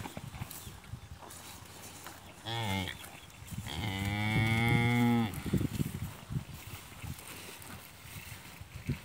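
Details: On a farm, a cow that has eaten its fodder well while its calf drinks milk from her gives a brief moo, then a long, steady, deep moo of about a second and a half, with scattered knocks and rustling around it.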